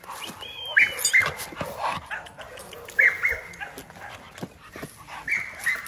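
An American Pit Bull Terrier gives high, thin whines in short bursts every couple of seconds.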